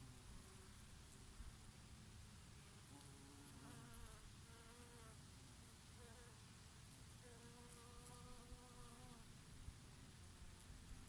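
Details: Bees feeding on oregano blossoms in summer, now and then a bumblebee among them: droning buzzes glide up and down in pitch as insects pass close, strongest midway, over a steady low rush of summer breeze.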